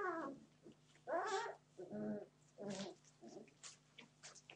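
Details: Puppies on their 31st day of life, being naughty: short harmonic yelping and growly whining bursts, roughly one per second, fading into softer scrabbling and clicking noises toward the end.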